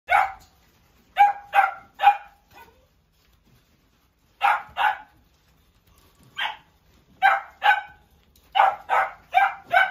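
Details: Bichon Frise dog barking in irregular bursts, sharp yappy barks often in pairs or runs of three to four, with short silent gaps between groups.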